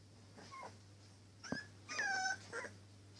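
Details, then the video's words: Litter of three-week-old English Springer Spaniel puppies: a faint squeak, a sharp short yelp, then a longer tonal whine sliding downward and a brief final squeal, over a steady low electrical hum indoors. "3 week old Springer spaniel puppies"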